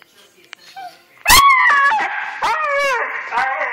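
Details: Husky getting excited before a trip to the dog park: a sharp click, then drawn-out harmonic howling vocalisations with wavering, sliding pitch, several rising and falling notes, a person's voice speaking just before.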